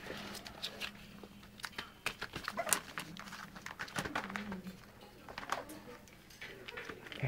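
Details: Nine newborn Soft Coated Wheaten Terrier puppies, Lottie's first litter, filmed indoors on 2 February 2008; thin squeaky whimpers and low mewing cries come in short bursts over rustling, clicking movement noise and a little speech.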